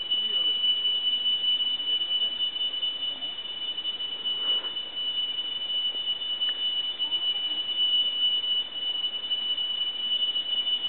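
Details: Tree cricket in dense forest, its song likened to a temple's holy bell during worship: one steady, high, pure ringing tone held unbroken throughout, over a soft hiss of background forest noise.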